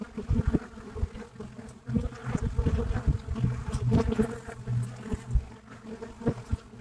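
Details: At the entrance of a Buckfast bee hive in Brittany, a deep dense hum of many flying bees, louder and lower than before, with passing close buzzes rising and fading.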